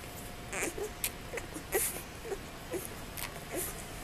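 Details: Presa Canario puppies from the first litter of Major and Sasha: short, high squeaks come every half second or so, some with faint overtones, over a steady low hum and soft scuffling clicks.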